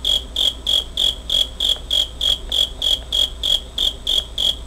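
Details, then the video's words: Cricket chirping, captured 27 August 2011 on a Pentax Optio S5z; about fourteen crisp, high-pitched pulses in quick, regular succession, each a brief bright trill, with faint low rumble beneath. "귀뚜라미 소리 cricket sound"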